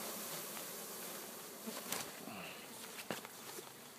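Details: Honey bees being installed in their first hive, recorded 4/7/12: a dense, steady hissing hum of many bees fills the whole stretch, with a few faint clicks and knocks.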